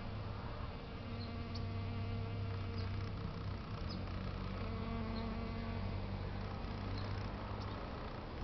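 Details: European honey bees working flowers on a fine day in San Diego, California, USA: a low, steady droning buzz with even harmonic layers that holds almost throughout, dipping briefly, amid light outdoor ambience.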